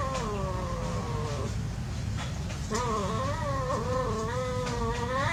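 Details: Cats at play giving long wavering yowls, one steady cry breaking off after about a second and a half, then a rising and falling warbled wail, over a constant low hum.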